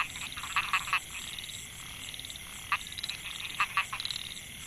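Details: Narrow-mouthed frogs (Microhyla pulchra) calling in the Mae Hia rice field, Chiang Mai, Thailand, recorded 2014; short buzzy pulsed bursts in clusters, several callers overlapping, with a steady high insect hiss behind.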